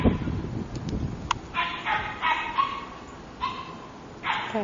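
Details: Puppies giving a run of short, bright yips and barks, several in quick uneven bursts, after a woman's cooing voice at the start.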